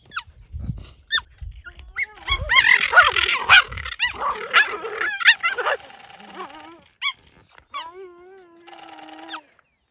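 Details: Female cheetah reacting aggressively to a male approaching to investigate her mating potential: harsh snarling growls and yelping bursts build into a loud clash, followed by wavering chirping whines and a drawn-out moaning call.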